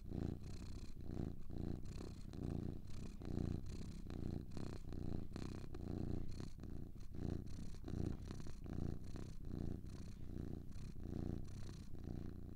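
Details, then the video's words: Domestic cats, two together, giving a soft rumbling purr that pulses rhythmically with their breathing, low and continuous, recorded close with a quiet background. "Two Cats Purring"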